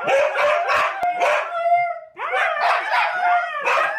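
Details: Three Siberian Huskies howling together, long wavering tones sliding up and down, broken by short sharp yaps and barks, with a brief dip in the middle before the chorus starts again.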